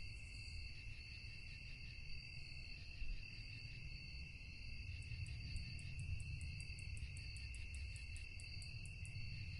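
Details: At night, crickets keep up an unbroken high trill in stacked bands. About halfway through, a quick run of sharp, very high chirps starts and repeats several times a second. Low background rumble throughout.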